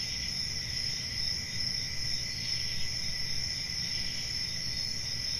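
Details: Night crickets in a summer forest keep up a continuous high, ringing trill in two layered tones, with a noticeable low rumble underneath.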